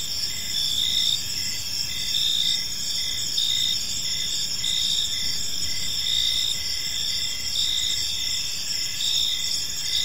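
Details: Gentle evening cricket chorus in a park, layered high shrill trills ringing steadily while brief chirps repeat at an uneven pace, faint rumbling background beneath.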